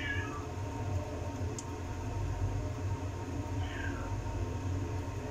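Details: Nine-month-old male Domestic Short Hair kitten up for adoption in Bukit Mertajam, Penang, rescued after a hit-and-run with his hind legs not moving. Two falling meows sit about four seconds apart over a steady low indoor hum.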